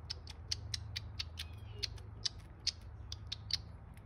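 Rapid, irregular smacking clicks, several each second, come from a young squirrel sucking steadily at a bottle. A soft low hum runs through the background.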